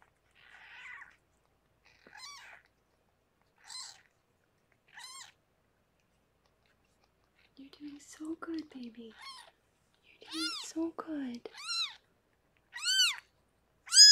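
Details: Rescued pregnant cat Harlequin giving birth to six kittens indoors; a run of thin, high-pitched arched mews, sparse at first, then louder and closer together toward the end, with a brief murmur of lower sounds in the middle.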